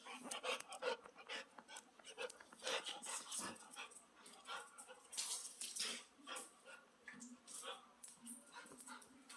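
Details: Baby puppy on its first day in a new home, playing fearlessly and acting cute to win attention; short sharp yips and scuffling bursts come in quick clusters, with human voices mixed in.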